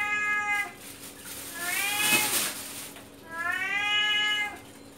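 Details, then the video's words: Very vocal male cat meowing for fish inside the home: three strong harmonic meows in quick succession, the middle one rising, the last long and level, with a rustling burst between calls. "CAT MEOWING FOR FISH"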